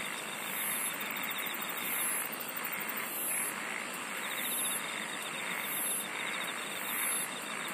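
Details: Singing insects fill the air with bursts of high trilling repeated about every 1.3 seconds, plus a finer steady pulsed chirr and a dense ongoing hiss beneath.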